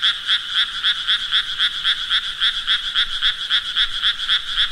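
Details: Rapid pulsed frog croaking, roughly four raspy beats each second, evenly spaced and constant in loudness, with nothing else heard.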